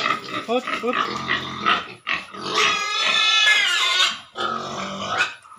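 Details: Pigs housed in a piggery squeal in high, harmonic cries: short choppy squeals, then a long drawn-out scream rising and falling in the middle, with a person's voice heard alongside.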